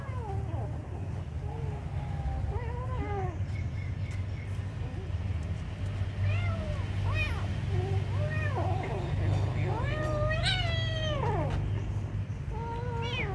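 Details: Kitten meowing while being given food: a run of wavering harmonic meows, some short and some drawn out, one louder rising-falling cry near the end, over constant low background hum.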